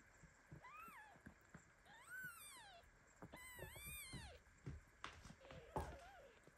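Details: Baby kitten meowing loudly in protest as mother cat Basi lies on top of it, the kitten shaking in its sleep; several thin, high, arched mews, the longest near the end, with soft thumps and rustling of bodies indoors.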